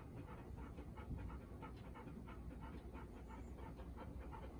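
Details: Golden Retriever named Bis, a four-year-old female, the day after meeting her mother Ibuki and Kohaku at a new home, tense and watchful; rapid rhythmic panting, about two breaths a second, over a low steady rumble.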